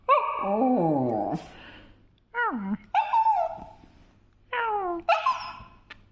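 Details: Pet dog vocalising indoors: drawn-out, wavering whines and howl-like cries, one long sliding whine then shorter downward-bending yelping whines in three bursts separated by brief pauses, with a faint low hum underneath.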